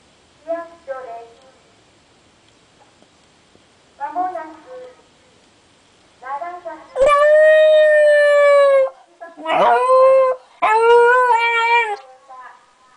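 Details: Pet dog howling in mourning on August 9, the Nagasaki atomic bombing anniversary, as the memorial siren sounds over the disaster-prevention radio. Short wavering harmonic howls give way to long, loud, sustained tones with slight pitch bends.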